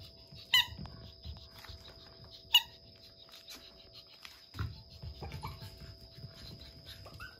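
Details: A clingy puppy for sale from a breeder gives two short high squeaky whines about two seconds apart, followed by soft rustling, faint tapping and a steady electronic hum.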